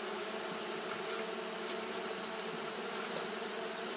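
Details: Continuous fanning of Japanese honey bees during hot weather, a thick droning buzz that holds level without pauses, layered with a high airy hiss.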